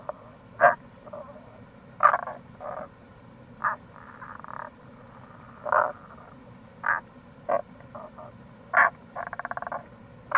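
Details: Several Tago's brown frogs near a gorge on the Kamo River in Itoshima, Fukuoka, Japan, in April: brief low croaks and rattling pulsed calls scattered irregularly through the clip, with a faint steady rush of water behind.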